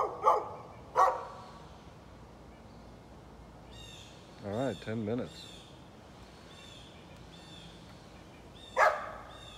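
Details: Neighbour's dog on 13 November 2020 gives two sharp barks at the start and one more near the end, with a low drawn-out voiced sound and faint high chirps in between.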